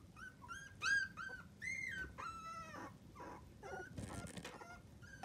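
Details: Newborn miniature dachshund puppies from a litter of seven, in their first three weeks, cry with drawn-out whining squeals that rise and fall, some clear and tonal, others rougher, tumbling over one another.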